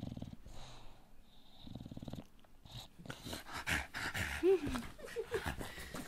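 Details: Elvis, an English Bulldog, makes a low, rattling wheeze like snoring, pulsing rapidly and steadily for about two seconds, then gives snuffling grunts with brief squeaky sounds as a person begins to speak Russian.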